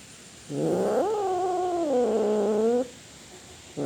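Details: Single long cat yowl lasting about two seconds, starting low, climbing quickly, then holding a wavering, slightly falling moan before cutting off; sound presented as a cat roaring.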